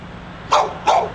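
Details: Two quick, harsh barks about a third of a second apart from a dog that would not be quiet, outside a bookstore in Pleasant Hill, California, with low traffic-like rumble behind.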